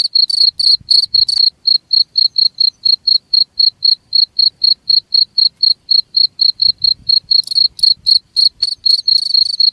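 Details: Cricket giving a clean run of short, high, ringing chirps at a steady pace of roughly four per second, louder and buzzier bursts near the start and end.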